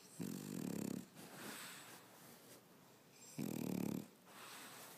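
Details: French Bulldog snoring while napping on its owner on a Saturday afternoon: two loud rasping, buzzy snores about three seconds apart, each lasting under a second, with softer breathing between them.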